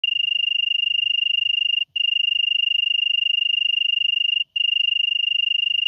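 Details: European tree cricket singing in Venezia, Italy, on 2 September 2021: a steady, pure, high-pitched trill made of rapid even pulses, continuous apart from two brief breaks.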